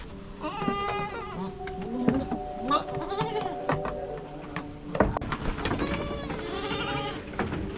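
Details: Young goat kids on a free-ranging goat farm in Tamil Nadu bleat in quavering, nasal cries as they run after a man, with the adult goats standing apart; the man talks and music plays underneath.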